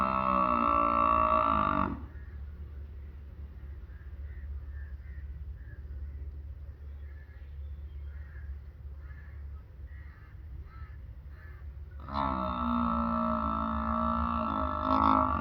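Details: Loud, droning bellow from a farm buffalo lasting about two seconds, followed by ten seconds of low background hum and faint scattered sounds, then a second long, sustained harmonic bellow.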